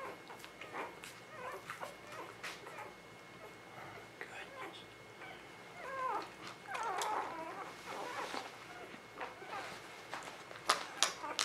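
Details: Newborn puppies in spring 2017 give scattered thin whimpers, a few rising and falling squeals clustered midway, amid rustling, handling noise and a person talking softly.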